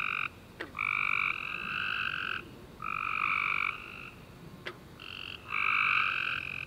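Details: After a warm, rainy summer day, tree frogs call at night in a steady chorus of drawn-out trilled notes, two voices at slightly different pitches overlapping, broken by short gaps and a couple of sharp ticks.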